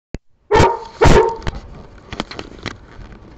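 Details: A dog named Sheena barking at no one, two loud harsh barks about half a second apart, followed by a few fainter knocks and clicks.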